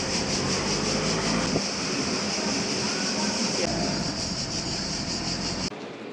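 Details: Many cicadas in Italy in summer sing together in a continuous, high, shimmering buzz that barely wavers and drowns out the low rumble of passing traffic and scraping noises, the chorus cutting off near the end.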